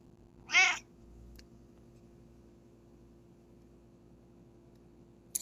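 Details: A Bengal cat gives one brief, bright meow in an otherwise quiet room, right after her owner sneezes, as if saying "bless you".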